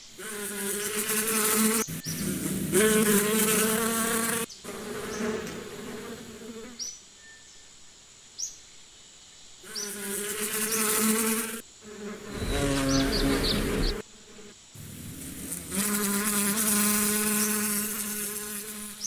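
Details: Buzzing bees recorded as a calming nature sound: loud droning hums in long bursts, broken by quieter gaps, the hum rising and dipping in pitch as bees pass close.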